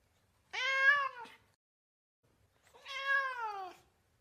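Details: Domestic cat giving two drawn-out meows about two seconds apart, each rising slightly then sliding down in pitch, with a rich harmonic tone; a quiet background with no other sounds.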